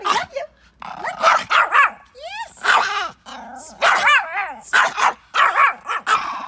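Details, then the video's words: A Pomeranian dog yaps excitedly outdoors in quick clusters of shrill barks, broken by a sweeping, rising whine and a few lower growly notes. "Pomeranian Barking cute"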